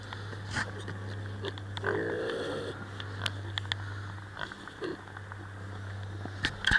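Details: A sleeping pot-bellied pig gives a soft, breathy rasp lasting under a second, like a single snoring exhalation, over a steady low indoor hum with scattered small clicks and rustles.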